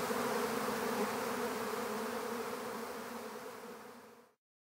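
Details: A honeybee swarm captured into an empty hive hums in a thick, even drone that slowly softens, then cuts off abruptly into silence just before the end.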